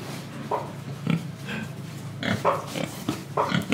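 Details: Pig recorded in Indonesia, giving a run of short, nasal grunts, some in quick pairs, spread across a few seconds against a light background hiss.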